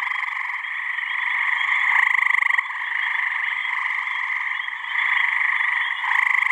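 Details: Male gray tree frogs calling in a deafening mating chorus at a New Hampshire pond on a warm evening in mid-May. Steady wall of rapid pulsed trills, with a close caller's louder musical trill standing out at intervals.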